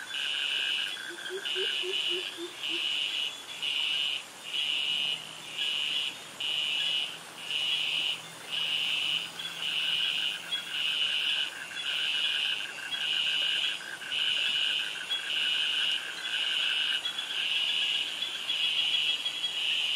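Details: Cicadas with crickets in tropical forest and mangroves at Krabi, Thailand: loud, high buzzy bursts repeat about once a second in a regular rhythm, over a fading mid-pitched pulse train and a brief series of low chirps early on.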